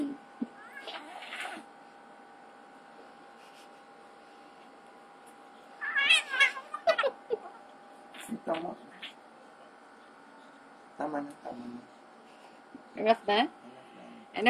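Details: Two cats, Ziggy and Chino, in a fight: short wavering yowls and growling bursts come in scattered clusters, loudest mid-clip, over a steady background hum, while a person speaks soothingly in mixed Tagalog and English.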